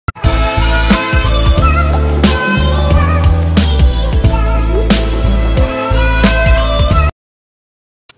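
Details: Loud edited music with beats and synthetic tones fills the recording and then cuts to silence, with no animal voice.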